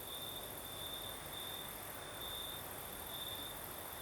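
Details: Crimean crickets sing in the southern night as a breeze blows. One unbroken high chirring tone carries through, growing louder in a few longer swells, with a steady airy hiss above it and a low wind murmur beneath.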